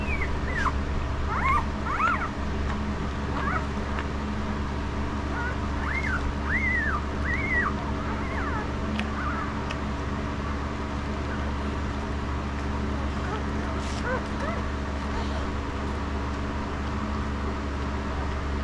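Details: Five-day-old puppies of Estes give a run of thin, high, arching squeals and whines, densest in the first eight seconds, then only a few faint ones, over a steady low hum.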